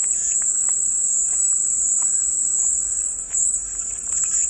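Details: Unbroken shrill buzzing of cicadas fills the sound, a continuous high whine with faint scattered chirps and ticks underneath.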